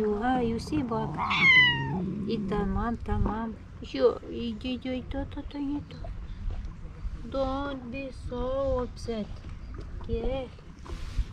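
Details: Two male stray cats that dislike each other, at the seaside in Istanbul, trade loud, high, wavering meows with rising and falling harmonic yowls, irregularly spaced over about eleven seconds, with some low background rumble.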